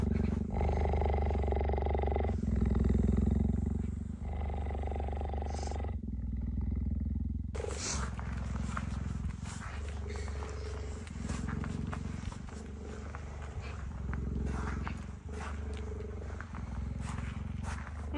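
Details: Female cheetah Gerda, kept in an enclosure, approaching male cheetah Messi after he left her enclosure and showing displeasure at his intrusion on her territory; deep rapid pulsing rumble of about three to four beats a second, then fainter rumbling under noisier background sound.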